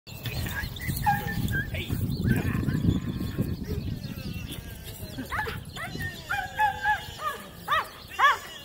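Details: Female Cane Corso puppy, four months old, during an evaluation: after several seconds of talking over low rumbling noise, a run of sharp, harmonic barks comes in roughly every half second, getting louder toward the end.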